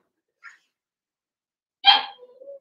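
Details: A young Blenheim Cavalier King Charles Spaniel from a litter of six puppies, kept in an indoor pen during potty training, gives one sharp yelping bark. A faint squeak comes before it, and it trails off into a thin, steady whine.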